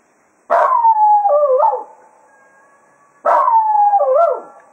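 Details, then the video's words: Cato the Jack Russell Terrier bids the hounds goodbye after a day of foxhunting at Quail Roost, giving two similar howls about three seconds apart, each falling in pitch with a wobbling, yodel-like break near the end. "Cato Serenading the Hounds after a Day of Hunting at Quail Roost"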